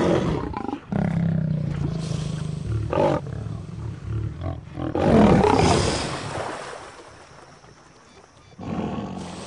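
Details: Lion confronting a crocodile, the pride's protector: deep, loud roaring bursts with a long low tone early on, then a broad, noisy surge of roaring and scuffling before fading, with a final burst at the end.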